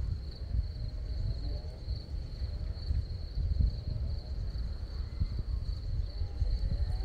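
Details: Crimean crickets in a meadow of scarlet poppies keep up a sustained high-pitched trill with a faint pulsing quality, while strong gusty wind roars low underneath.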